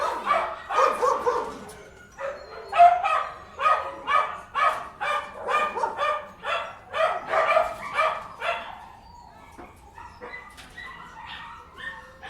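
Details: Inside a kennel, dogs let out fast, rhythmic barks, about two per second, for nine seconds. The chorus then thins to scattered softer yips and whines.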